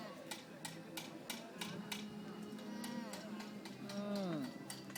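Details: Alpacas at a countryside day event in Groningen trade soft, nasal humming calls, one ending in a drawn-out falling whine.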